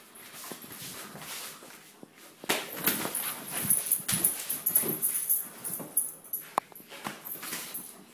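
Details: German Shepherd puppy playing tug of war indoors, giving rough, breathy growl-like bursts and snorts that come in quick irregular runs through the second half, with rustling and scuffling between them.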